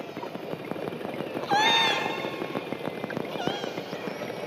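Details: A killer whale (Orcinus orca) gives a brief, squeaky, falling call over a steady patter of underwater clicks.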